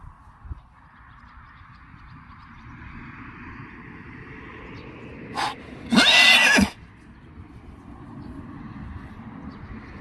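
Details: Friesian horse herd being brought in, with one horse lame: a short squeal, then a brief, loud, rough whinny under a second long, surrounded by quiet hoof shuffling and a steady hum.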